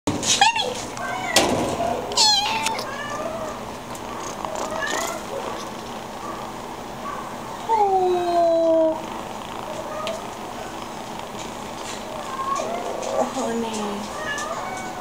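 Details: Tiny tan kitten in isolation, too young and needing his mother, giving thin high mews that slide downward, scattered over fifteen seconds, one longer drawn-out cry in the middle; human speech and indoor noise around.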